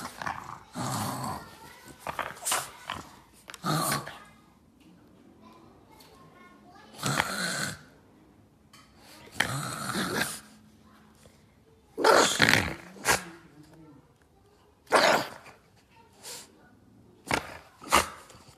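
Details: A Boston Terrier fighting with a shoe gives harsh, raspy growls and snorts in short, irregular bursts.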